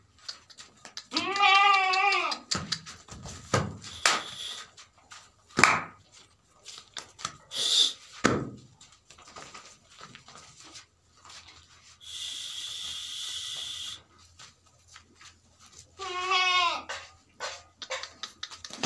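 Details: Beetal goat at a goat farm in West Bengal, India, giving two loud wavering bleats, one near the start and another late, with handling clatter, knocks and a steady hiss in between.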